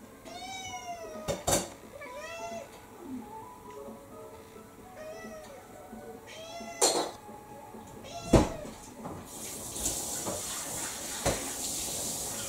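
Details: Mixed-breed pet cat, about six years old, meowing at dinnertime while refusing its food in December 2022; a run of short rising-falling meows, several in quick succession, with clattering knocks and a hissing running-water sound near the end.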